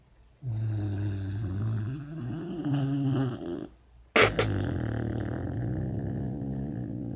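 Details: Chanel, a sleeping female puppy, dreaming: a low, droning, harmonic snore held for about three seconds, a brief silence, then a harsher, rougher snore that starts abruptly and carries on to the end.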